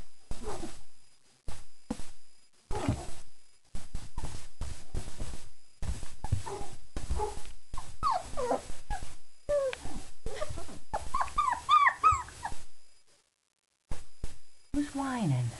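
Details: Young German Shepherd puppies, four weeks old, after a meal; short scattered sounds and rustles give way to clusters of high squeaky whimpers near the end, with a lower drawn-out whine closing the passage.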